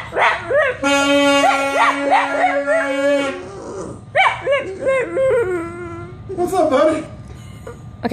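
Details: Boston Terrier howling in response to a saxophone: wavering, sliding howls that rise and fall, first overlapping a long steady saxophone note, then several bending howls on their own toward the end.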